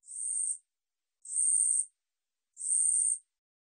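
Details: An Ussuri katydid sings in high, buzzy bursts, each about half a second long, repeated roughly every 1.3 seconds; 2020 recording.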